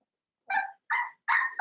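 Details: Seven-week-old blenheim Cavalier King Charles Spaniel puppy in an indoor pen from a litter of five, giving three short, high, clear yapping barks in quick succession, each about a quarter-second long.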